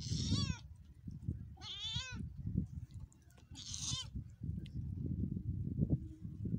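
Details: Three high-pitched, quavering cat meows about one and a half seconds apart, each rising then falling with a shaky vibrato, set against constant low-frequency rumble and handling noise; from a 2022 cute cats compilation.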